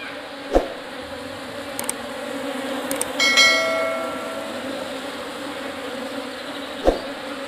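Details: Apis cerana indica swarm arriving in a hive box: a steady bee drone broken by sharp knocks near the start and end and a bright metallic clink and ring in the middle.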